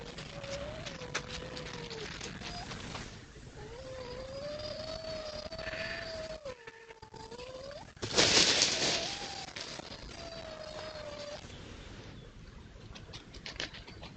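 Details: Red fox at night, trail-camera recording from a woodland edge among fields in East Sussex, 26 October 2025; long, drawn-out wavering howls and cries, each lasting two to three seconds, with a burst of rustling noise midway.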